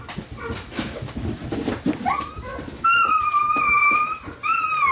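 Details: Female Dobermann puppy of good pedigree, born on 9 June, indoors: after a couple of seconds of rustling and faint yips, it gives drawn-out, high, thin whining cries that hold steady, then break off and start again.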